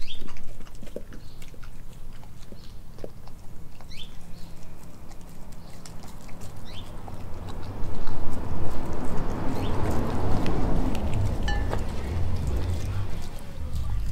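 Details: Nala, an Australian Kelpie German Shepherd mix, eats raw beef liver, beef heart, chicken feet and chicken thigh, filmed on a Nikon D5600. Irregular wet clicks and chewing crunches over a low rumble, growing louder and denser after eight seconds.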